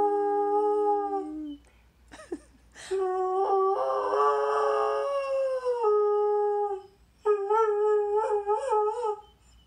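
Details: Pet greyhound singing indoors: a long, wavering, tonal howl that rises and falls, broken by short breaths, with a final stretch of pulsing, quavering notes.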